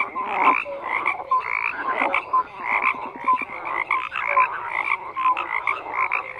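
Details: A frog chorus with rhythmic bursts of grating croaks roughly every half second, mixed with brief bright whistled notes, several callers overlapping steadily throughout.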